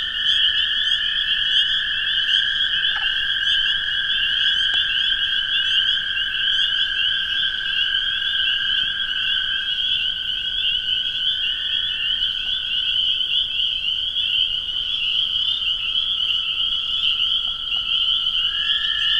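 A dense spring chorus: long, steady toad trills under a mass of high, shrill peeper notes.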